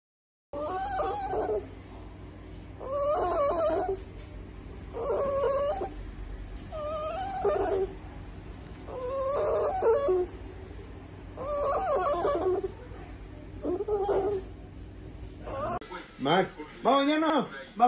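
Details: Dog giving a series of high, wavering whines, each lasting about a second and repeated roughly every two seconds, with a faint steady hum in the background and a final burst of sharper, sliding cries at the end.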